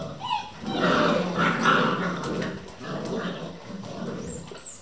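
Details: Vizsla puppies from a litter of eleven, playing at 3 am in a kennel: continuous rough growling and grumbling with a few brief high squeals, several pups sounding at once amid scuffling.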